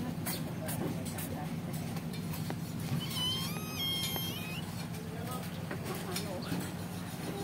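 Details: Kitten still nursing, separated from its mother, lets out a few high, wavering mews midway through against rumbling traffic and nearby voices.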